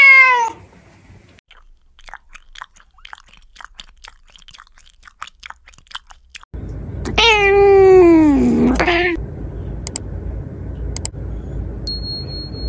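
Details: Domestic cat, close-up, starting with a brief falling meow, then a stretch of soft clicks and tapping, before a long wavering meow that dips low and rises again over steady background hiss.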